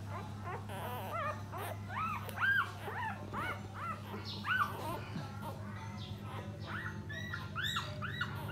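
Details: Puppies nursing from their mother as she cleans them; a scatter of thin, arched squeaks and whines, some overlapping, over a constant low background hum.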